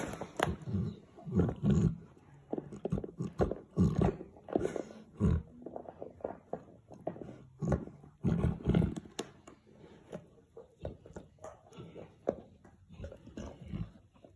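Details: Female Boerboel named Molly lying with her puppy Sully, the pair chewing a bone and a horn together; deep, rumbling growl-like grumbles come in uneven bursts over fourteen seconds, with a few quiet gaps between runs.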